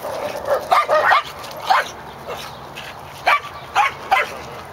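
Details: Corgi, a recovering dog out for another day in the park, lets out short, sharp barks in irregular bursts: two close together, a third a second later, then three more spaced about half a second apart, over steady outdoor hiss.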